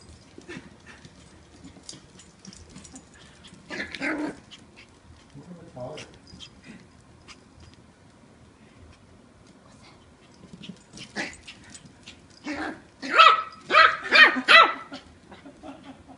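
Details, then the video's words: Eight-week-old Yorkshire Terrier puppy named Kiwi, mouthy and wrestling with her new brother and sister indoors; scattered soft sounds, then a quick burst of sharp, high yaps near the end, with people talking. "Mouthy Yorkie puppy with attitude"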